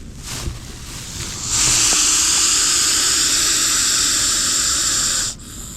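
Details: Large Russell's viper caught during a rescue in grass beside a house, giving a warning after capture. A loud, sustained, harsh breathy hiss starts abruptly and holds for about four seconds, then cuts off, with rustling before it.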